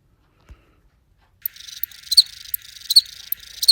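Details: Spring field cricket (Gryllus veletis) song: short, shrill chirps at irregular intervals over a steady background hiss.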